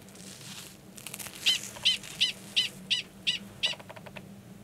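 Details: Gunnison's prairie dog male 45 gives a mating call before going underground to mate, Valles Caldera, New Mexico, in March 2017; seven evenly spaced shrill barks arrive roughly every third of a second.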